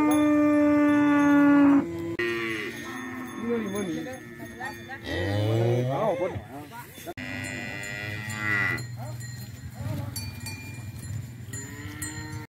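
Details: Cattle of several breeds, Bali, Limousin and Brahman, gathered in a field. A long, loud, steady moo holds for almost two seconds. Shorter wavering calls and a low grunt follow, with faint voices in the background.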